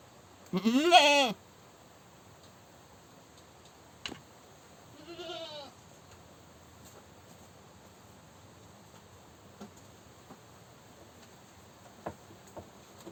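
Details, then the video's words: Goat screaming: one loud harsh wavering bleat near the start, a fainter shorter bleat around five seconds, then mostly quiet with a few sharp clicks. "Goat Screaming"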